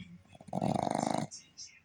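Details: Boston terrier asleep with eyes still open, giving one loud, rattling snore of rapid throbbing pulses that lasts under a second, then fades into quiet breathing.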